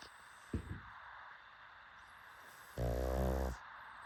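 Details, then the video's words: Sleeping pugs snoring: a short snort near the start, then one long low, buzzy, rattling snore lasting under a second against a steady background hiss. "PUGS SNORING"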